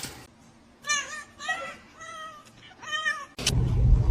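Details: Kitten meowing: four short, clear tonal meows in quick succession, each bending slightly down in pitch, followed by a sudden burst of loud rumbling noise at the end.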